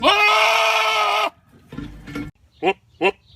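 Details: Goat calling at feeding time: one long, loud, steady nasal bleat lasting over a second, followed by a quieter, lower bleat and two short sharp bursts.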